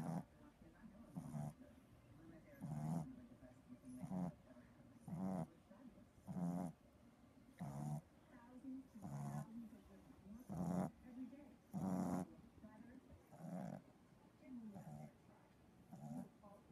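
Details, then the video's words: Loud snores from a napping 3-month-old Boston Terrier puppy: steady low, raspy breaths recurring about every second and a half, some slightly growly, with soft pauses in between. "Sleepy puppy snores loudly"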